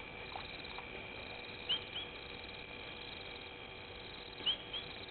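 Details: Painted reed frog at Gowrie dam waterhole, Djuma Game Reserve, Sabi Sand Wildtuin, South Africa, picked up by a live waterhole camera at night: two pairs of short, high, upswept chirps, each pair a quarter second apart, over a steady noisy hiss.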